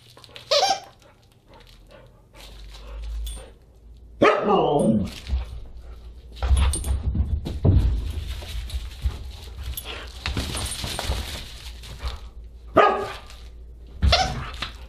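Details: Huskies gathered for a dinner party on December 27, 2022: scattered barks and a falling whine-howl around four seconds, later sharp yelps near thirteen and fourteen seconds, amid thumping, clatter and indoor noise.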